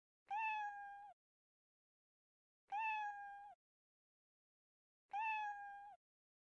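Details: Kitten meows, three evenly spaced calls about every two and a half seconds, each a clear, level, harmonic mew that drops slightly at the end, with silence between.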